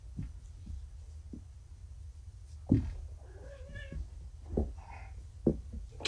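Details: Groggy kittens just back from neutering, still on pain medication, indoors in a small room; short drawn-out meows with a wavering tone, set among thumps, rustling and soft handling noises.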